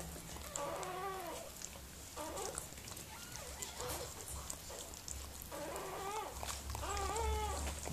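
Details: Miniature Pinscher named Mirella during whelping, giving birth to puppies indoors: two bursts of thin, whiny, wavering cries with stacked overtones, the first around the one-second mark, the second group near the end, over a low steady hum.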